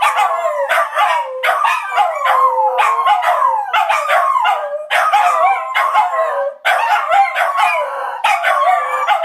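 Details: Chorus of three household dogs that howl several times daily. Long quavering howls slide up and down, layered over one another, with rapid yipping pulses running through the whole stretch.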